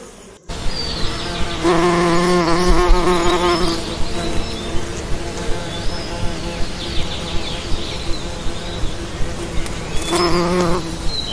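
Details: Bee flight buzz, a strong harmonic drone that swells as the insect passes close at two moments, over a constant low hum with regular faint clicks.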